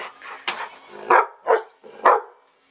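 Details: Old English Sheepdog begging for food gives four short, punchy barks at roughly half-second intervals, with a brief yelp-like note before them, indoors.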